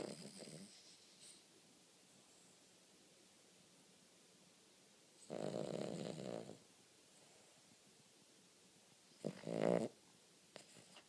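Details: Cavalier King Charles Spaniel asleep and snoring: three separate rasping, wheezy snores about four seconds apart, each lasting roughly a second, with near silence between them.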